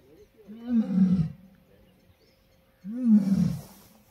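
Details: Asiatic lion roaring on a Gir jungle safari: two deep, grunting roar bursts about two seconds apart, each a short rising-then-falling moan, with quiet gaps between and a faint steady hum in the background.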